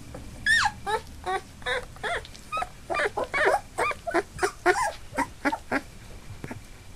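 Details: Eight Labrador Retriever puppies, two days short of three weeks old, newly walking with eyes open, give a rapid string of high, squeaky whimpers, each short and sliding downward, roughly two per second over a quiet background.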